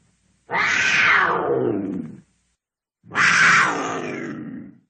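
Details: Two drawn-out, raspy cougar screams, each starting shrill and sinking lower over about two seconds, separated by a short silence.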